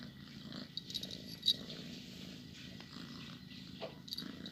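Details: Pet domestic cat purring softly, a low, steady rumbling purr with a pulsing texture throughout, quiet and close, with a few faint clicks and rustles in the background.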